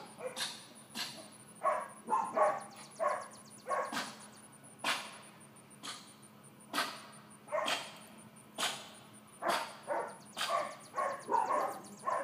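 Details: Excitable four-month-old miniature dachshund puppy Georgia barks steadily and repeatedly, short yappy barks roughly every half second to second, with a faint steady high whine in the background.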